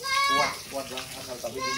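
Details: Etawa goat of the large Senduro type being bathed: a loud, wavering bleat with rich harmonics, then weaker nasal cries, amid background noise.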